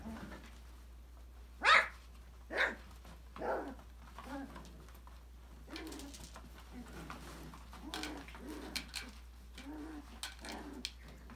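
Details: Australian Labradoodle puppies, five weeks old, from a December 2020 litter, exploring and playing in an enrichment playground: three sharp yips about a second apart, then quieter grumbling growls and squeaks over scuffling sounds.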